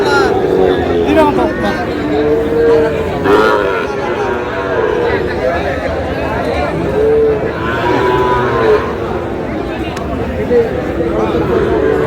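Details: Sahiwal bull calf at a cattle market where a farmer from Munshiganj buys cattle, 11 August: a few drawn-out, arching moos rise above constant loud chatter and bargaining voices of a crowd.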